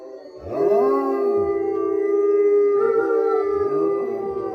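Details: Captive wolfdog at a southern Ohio wolf sanctuary giving a long, steady, clear howl that rises at the start, holds one pitch for about four seconds, and has a second voice briefly joining and bending downward.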